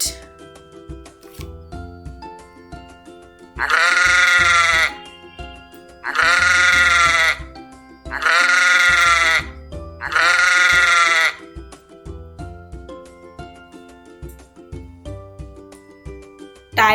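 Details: Sheep bleating four times, each a drawn-out wavering baa about a second long, repeated every two seconds or so, set against cheerful children's music throughout.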